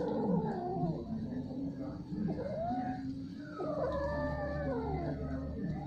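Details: Mating domestic cats giving strange, repeated caterwauls: long wailing yowls that bend up and down in pitch, one animal answering another, with a constant low rumble underneath.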